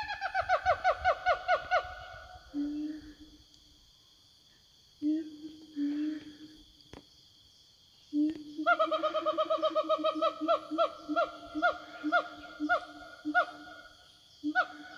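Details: Siamang in the forest answering one another to call companions: bursts of rapid, ringing barking whoops repeated several times a second, alternating with low booming hums and pauses, then another long run of loud whooping notes.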